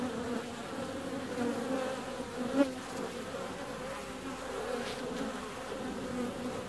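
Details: Continuous wing hum of honey bees flying out in mild February weather, low and steady with a faint higher overtone, and a single close pass near the middle briefly louder.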